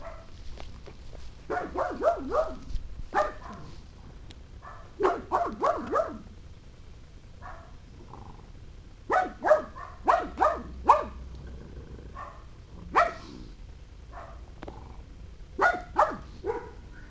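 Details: Maggie, a pet pug, barks repeatedly in quick clusters of three to five yaps separated by brief silences, the clipped barks sounding sharp and mid-pitched over a faint room hum.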